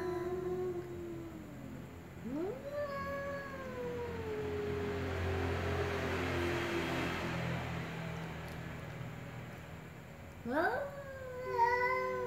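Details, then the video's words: Slow meows from a ginger cat and a black cat: a low wavering cry fades out, then a long meow rises sharply and slowly drops over several seconds, and a final rising meow falls away near the end. Low rumble underneath. "Ginger cat and black cat meow slowly"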